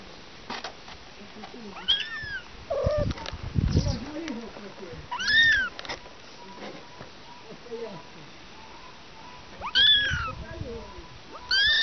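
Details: Domestic cats, a mother and three kittens, meowing: a few rising-then-falling harmonic mews spaced several seconds apart, with softer chirps and scuffling between them and some speech-like sounds in the background.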